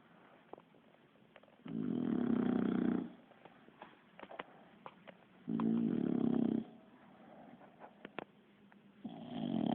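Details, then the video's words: Sleeping Bulldog Kiára snores in a human-like way: two full, low, vibrating snore breaths about four seconds apart and a third starting at the end, with small ticks and clicks in the silences. "Bull Dog roncando"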